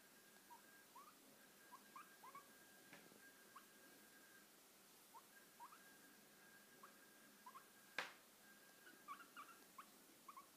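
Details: Pet guinea pig getting lap time indoors, giving many short, rising squeaky chirps in quick irregular bursts throughout, with one sharp click or knock partway through and a quiet room hum underneath.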